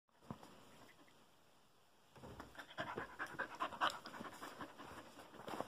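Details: Happy puppy panting in quick, uneven breaths, faint at first and growing louder and busier in the second half, with soft clicks and rustling close by.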